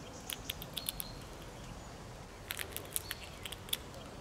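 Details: Squirrel gnawing while feeding: bursts of dry, crisp clicking scrapes in quick clusters, the first group early on and a denser run in the second half, over a quiet background.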